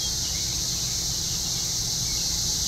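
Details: Cicadas calling from trees during a cicada invasion at an RV park just outside Columbia, Missouri; a continuous, dense, high-pitched droning hiss that stays steady without breaks, with a low rumble underneath.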